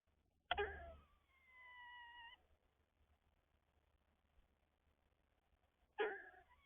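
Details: An eastern gray squirrel in the morning gives a harsh chuck, a drawn-out nasal whine, then another chuck.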